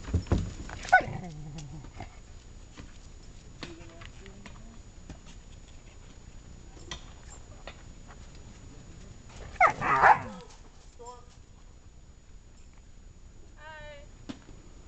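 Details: Huskies at I.S.E.S., an animal rehabilitation center in Quebec, Canada, give a few short harmonic whining cries: one near the start, a louder wavering outburst midway, and a rising, quavering whine near the end, with quiet gaps between.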